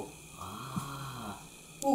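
A Cocker Spaniel snores, a low rumbling breath drawn out for about a second.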